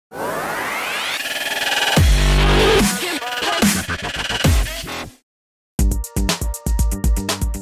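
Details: Loud electronic dance music with heavy bass and rising synth sweeps, then a brief silence and choppy beats.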